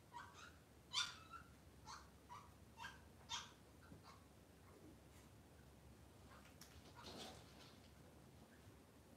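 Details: Cavalier King Charles Spaniel puppies in a kitchen on a cloudy Monday morning give a run of short, high whimpering squeaks in uneven bursts, a few louder than the rest, over a soft indoor background hiss.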